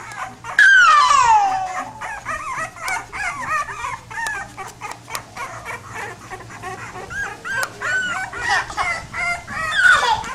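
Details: Pit bull puppies whimper; a sharp high cry falls steeply near the start, followed by a steady stream of soft squeaks and whines, and another rising cry at the end.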